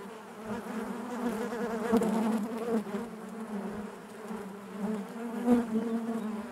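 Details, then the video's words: Honey bees droning together inside their hive, a warm continuous buzz with rippling overtones, gently swelling and fading, loudest around two seconds and five and a half seconds. "bees therapy hive natural buzzing sound"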